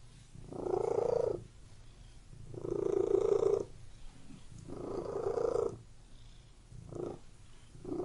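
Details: Domestic cat in a room purring with a vibrating low rumble, three long swelling breaths followed by two shorter, quicker bursts near the end.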